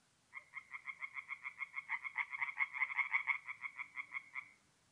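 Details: Tree frog calling by night at a forest pond in north-east Italy, mid-April: a four-second burst of rapid, evenly spaced croaks that swells in the middle and fades, over a faint low background hum.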